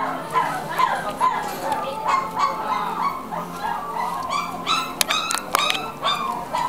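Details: A Papillon dog giving rapid repeated whining, yelping calls, several per second, nasal and wavering in pitch, with a few sharper higher yelps near the end.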